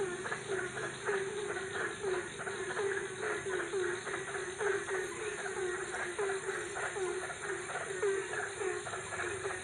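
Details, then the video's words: Frogs calling at night in Ambon: quick, low croaking pulses repeated several times a second in a steady chorus, with a constant high hiss running underneath throughout. "Suara Katak di malam hari"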